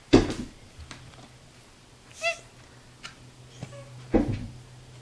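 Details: Indoor domestic cat producing a brief, clear harmonic meow midway, with a fainter short call after it, framed by soft thumps and knocks in a small room.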